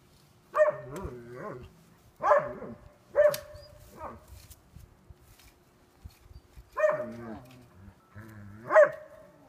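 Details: Sasha, a dog newly blind since April 7, 2016, engaging in playful behaviour: a series of harmonic barks, singles and quick pairs, some with rising-then-falling inflection, spaced over several seconds with soft rustles between.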